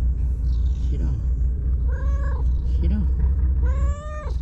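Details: White stray cat that lives alone among breakwater tetrapods in Japan welcomes a visitor with two quick, rising-then-falling meows in the second half, after a brief human voice, with constant low wind rumble behind.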